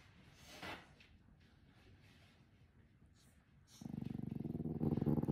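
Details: Cranky, tired merle French Bulldog puppy growling at annoying sounds: near silence at first, then a low, rapidly pulsing rumble starts and swells louder through the final second and a half.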